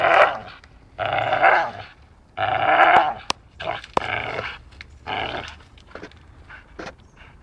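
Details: Dachshund biting in play, producing loud, rasping, whiny growls in about five separate bursts, each near a second long, with sharp tapping clicks between them.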